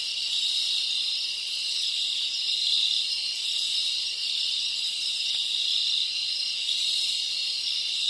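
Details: Dominican Republic rainforest crickets calling together, an unbroken shrill ringing trill, layered and even throughout, with no birds or voices.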